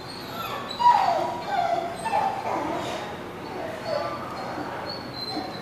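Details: Dogs at a barking lot recorded on 10/13/17, giving scattered high whimpers and short yips over a steady wash of broadband background noise, with one louder yelp near the start.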